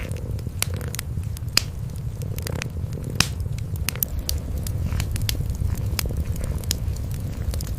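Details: Kitten and mother cat, cream coloured, sleeping side by side before a fireplace on a quiet night, purring; continuous deep low rumble with intermittent snapping crackles of firewood, no music.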